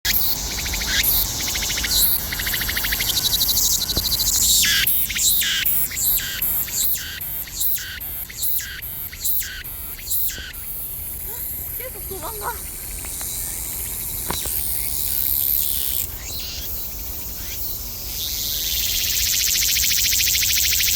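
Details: Cicada calling outdoors in the countryside: a dense, hissing high-pitched drone that breaks into rapid pulsed bursts in the middle, then swells into a steady, loud buzz toward the end.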